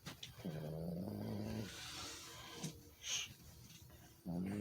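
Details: Sleeping Chihuahua snoring: two drawn-out, low, droning buzzes with a faint nasal whine, each over a second long and nearly four seconds apart, with quiet breathing noise between them.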